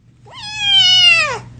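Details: Kitten giving one long, loud, plaintive meow, rising at the start, holding steady, then sliding down at the end, over a faint low indoor hum.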